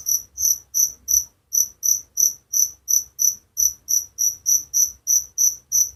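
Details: Cricket repeating a thin, piercing chirp about three times a second in an even rhythm, one brief gap near the second mark, quiet background.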